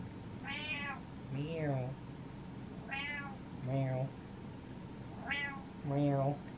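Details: Butters, a pet cat tired of waiting and meowing impatiently at his owner indoors, gives three high, rising-then-falling meows about two seconds apart, each answered by a man's low voice imitating a meow.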